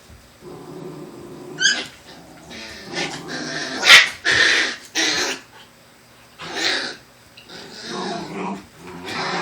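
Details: Black Shiba Inus Kotaro and Sakura with their puppies; low growls mixed with sharp, higher yelps and barks in uneven bursts, loudest near the middle, separated by brief silences.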